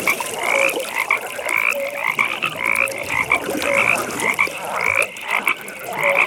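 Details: Frogs at a nighttime pond: rapid high chirping notes repeat about once a second, joined by occasional lower croaks, all over a dense continuous trilling chorus.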